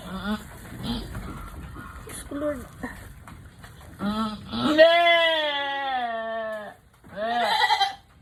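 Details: Nanny goat having trouble giving birth while a person urges her to push the kid out: short voiced sounds, then one long steady drawn-out bleat of about two seconds, then another short cry.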